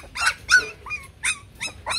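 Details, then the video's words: Shaggy Bac Ha dog from Vietnam, raised at a breeding kennel: a handful of tonal yelps and whiny barks spaced roughly every third of a second, some rising at the end. "Chó Bắc Hà xù VN"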